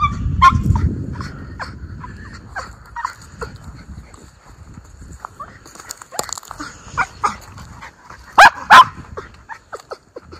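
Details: Two Miniature Schnauzer brothers running free in a muddy spring yard in Aroostook County, Maine, April 18, 2024, after the snow melted; rustling and footsteps, then a few short sharp barks, two loud ones close together near the end.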